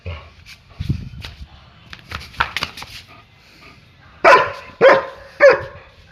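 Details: German Shepherd at play: clicks, scuffles and a soft voice at first, then three loud, clipped barks spaced about half a second apart, each with a brief ringing edge.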